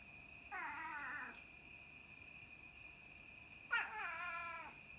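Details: Two young pet cats, one black and one white, at night: two drawn-out meows, the first wavering and falling, the second starting with a sharp onset, over a steady high electrical whine.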